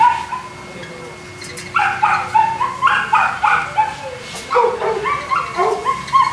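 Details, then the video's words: At a Colombian kennel in Jamundí near Cali, Boston Terrier dogs stay quiet for under two seconds, then break into a rapid string of shrill yaps followed by whiny, sliding yelps, with a steady hum behind. "Boston Terrier"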